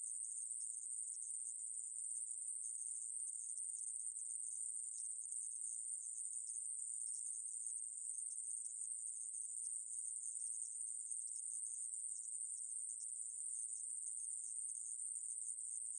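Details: Ae-maeburi conehead katydid song recorded in 2020: a long, unvarying, high hissing drone kept up without a gap, on a clean, quiet background.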